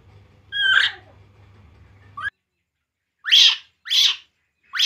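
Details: Drinking milk, baby monkey Poo lets out a wavering high cry over a low electrical hum, then three quick piercing rising squeals in close succession.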